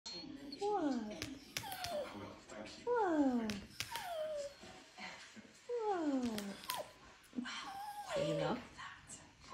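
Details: Little dog wanting a walk, pressing its owner busy on a laptop and scratching the screen indoors; repeated high whines falling in pitch, roughly every second or two, with scratching and tapping sounds between.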